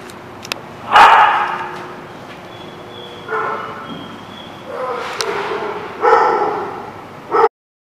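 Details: Dogs barking at The Barking Lot, recorded 5/1/17: a few short, broad barks at separate moments over steady background hiss, ending abruptly.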